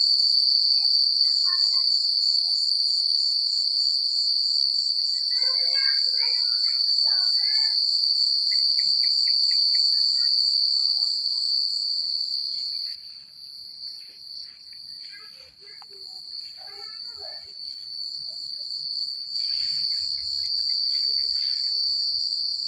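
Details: A country night full of crickets: a dense, even, high trill of rapid pulses carries throughout, easing quieter for a few seconds midway before swelling back, with light rustling and a few scattered chirps below.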